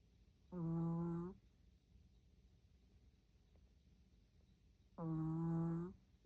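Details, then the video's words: Sixteen-year-old senior dog named Tori snoring loudly indoors; two drawn-out tonal snores with a buzzy, harmonic hum, each just under a second long and about four seconds apart, with a quiet room between them. "코골이 한번 우렁찬 16세 가나디 토리"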